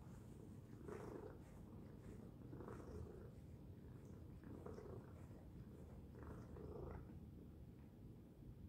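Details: Tacy, a domestic cat, purring loudly: a continuous low rumble with rhythmic swells roughly every one and a half to two seconds, matching inhale and exhale cycles, steady and close throughout.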